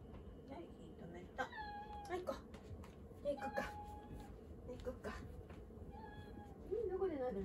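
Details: House cat pestering for attention in the kitchen after the stove is turned off; short, thin meows scattered among a woman's chatter and kitchen clatter, with a low steady hum throughout.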